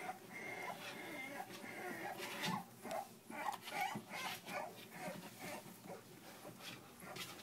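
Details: Three-week-old puppies whimpering together, thin high squeaks and short nasal whines overlapping in a busy, restless stream, with soft rustling bedding beneath.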